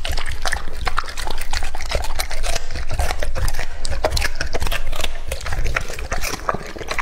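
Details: Lucky, a male English Labrador Retriever, two and a half years old, eats raw meat close to the microphone. Moist chomping and sharp crunchy clicks repeat rapidly without pause.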